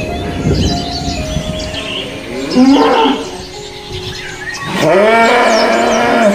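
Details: Imported Brahman cattle, recorded after Lebaran 2021, give two drawn-out moos. The first is shorter and rising. The second is longer and more tonal, rising then holding steady. Background chatter and faint music run throughout.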